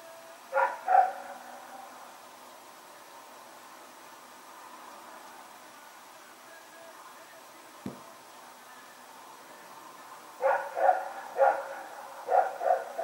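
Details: Dog named Rex barking while running around at night, recorded 21 September 2018; two barks open, then a long quiet stretch with a single sharp knock, and a late burst of four barks in quick succession.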